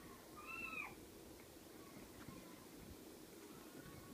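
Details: Six-week-old Ocicat kittens: one short, high, thin mew rising then falling, under a second long, early on, followed by steady low background hum with no further calls.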